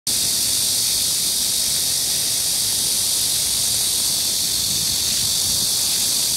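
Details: Cicadas on a midsummer day, July 14, 2022, at Gayang-dong culture park in Gangseo-gu, Seoul, South Korea, 31°C, 65% humidity, 4 m/s wind, beside a fountain; unbroken, dense, high-pitched hissing drone holding steady throughout.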